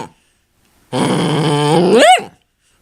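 A miniature dachshund gives a sustained, throaty growl that ends in a rising, whiny yelp.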